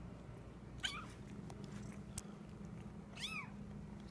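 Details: Kitten, a male pet, making a weird noise while eating indoors: two short squeaky meow-like calls, one near the start and one near the end, with a sharp click between them over a low steady hum.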